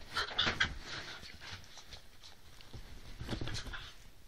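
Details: Rough play between pet Whippets Roxy, three years old, and Lilah, a seven-week-old pup: a burst of squeaky high yips and growling in the first second, then softer grumbling and panting over scuffles.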